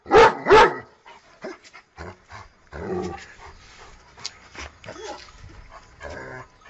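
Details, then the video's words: A dog opens with two loud, sharp barks in quick succession, followed by quieter mixed sounds and background noise. "Dog Barking Sound"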